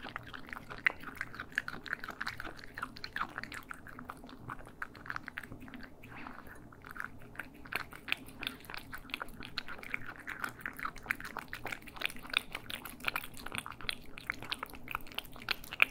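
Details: Cats eating, stereo ASMR audio: long continuous stretch of fast, fine chewing ticks and soft crunches, fairly even in level, over a steady low background hum.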